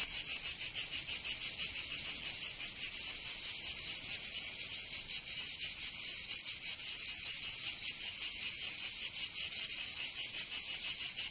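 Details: Provence cicadas in summer, southern France: dense high-pitched buzzing that pulses irregularly, with overlapping callers making the rhythm waver between clear beats and an unbroken shimmering drone.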